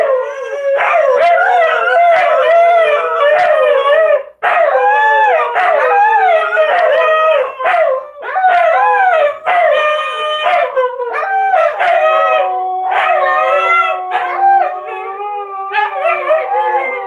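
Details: Owner-prompted chorus of pet Siberian Huskies, with puppy Eleanor practising her howl alongside her big sisters and Memphis joining; dense, loud overlapping howls with bending, wavering pitches, broken into surging phrases and brief dips over a long stretch.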